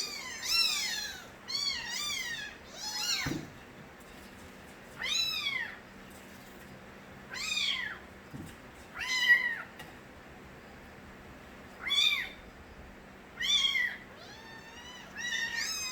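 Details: Nabi's kittens, young street cats, crying in turn: sharp arched meows repeat every one to two seconds, some short and piercing, others drawn out. Between calls there is quiet, with a couple of soft thumps.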